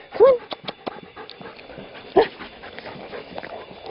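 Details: Mixed-breed rescue dog, about two years old, eager during frisbee play: two short, high, yelping whines about two seconds apart, with a man's voice praising him in between.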